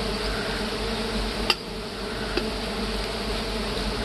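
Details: Steady, thick humming of big honey bees at a honey harvest among hard woods. Two sharp knocks stand out against the constant drone.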